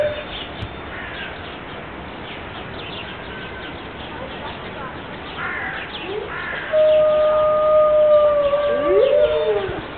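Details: Five Siberian wolves at Berlin Zoo on a rainy morning; after a stretch of faint background chirping, a steady, smooth howl starts around seven seconds and holds level before sliding downward, with a second fainter voice above it.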